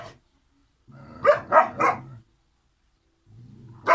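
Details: Kangal puppies, sibling pair, giving three quick hoarse barks in a row, a short silence, then one more bark, with low background rumble.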